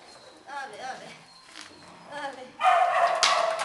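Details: Small dogs and puppies in a shelter kennel: scattered high, wavering whines in the first seconds, then a loud burst of shrill, overlapping yapping barks from about the two-and-a-half-second mark to the end.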